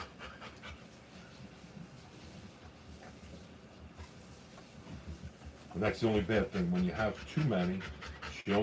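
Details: Panting Rottweiler during the live birth of her puppies: soft, breathy pulses repeating roughly 87 times a minute for over five seconds, then human voices talking over the end.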